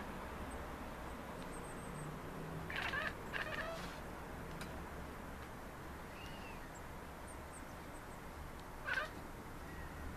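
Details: Chattering from pet Maine Coons aimed at birds in the city: a cluster of stuttering chirps around three seconds, a lone later burst near nine seconds, with faint thin bird peeps high above.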